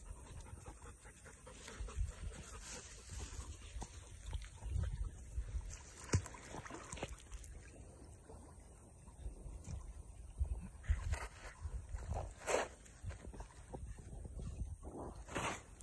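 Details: Webfoot retrievers, Tugboat and his puppies, at a pond: rough, breathy panting in uneven bursts over a steady low rumble, with scattered splashy, sloshing water noises throughout.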